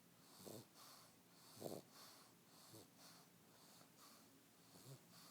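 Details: A sleeping pug snores in short raspy snorts, about one per second, uneven, with a hissing wheeze between them indoors.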